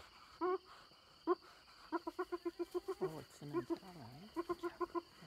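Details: Hyenas contest an impala carcass stolen from the leopard Little Bush and her cub, near Selati Camp. Evenly spaced, staccato laugh-like notes repeat quickly, broken by a few drawn-out wavering wails.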